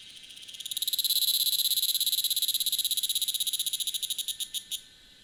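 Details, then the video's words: At 1000 m in Taitung, Taiwan, a Tanna cicada sings: a swelling, fast, even pulsed buzz that holds for several seconds, then breaks into slower separate clicks before stopping abruptly. "未知暮蟬2 蟬鳴聲"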